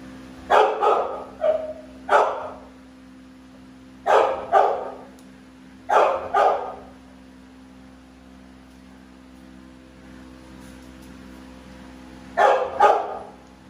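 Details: American Bully pitbulls named Navi and Nyla, two dogs, barking in short bursts: doubled and single loud barks spaced a second or two apart, with a quiet pause before a final pair of barks; steady low hum beneath.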